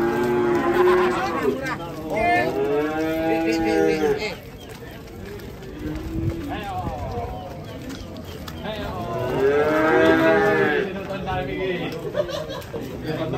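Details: Moos from fat cattle during loading onto a truck on a muddy road: three loud groups of deep, wavering bellows, the last swelling strongest, separated by quieter stretches with voices nearby.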